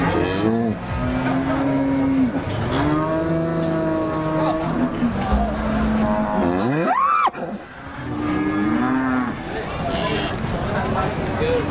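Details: Cattle at the Muntilan cattle market near the end of 2019, with long, drawn-out low moos that hold steady before sliding, one sharp rising bellow near the middle, and constant market noise and chatter behind.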